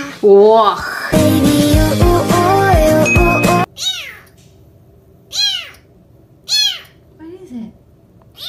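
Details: Kitten meows in a mixed stretch: speech and music fill the opening seconds, then four short descending meows follow at roughly one-second intervals.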